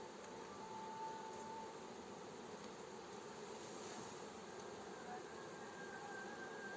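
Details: Honey bee swarm as a beekeeper gently guides it into its hive, nearby villages around: a dense, steady low buzzing hum throughout, with faint thin drawn-out tones drifting in the background.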